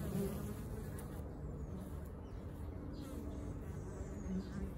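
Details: Low, dense droning hum from many bees at a sanctuary hive. Brief stronger buzzy notes at the start and end stand out against a constant background whir.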